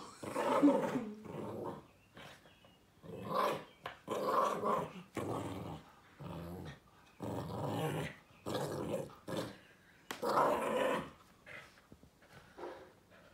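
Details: Small chihuahua silky terrier mix dog named Joey playing with an owl stuffy on the carpet, giving steady throaty growls in repeated bursts of about one second, separated by short quiet gaps.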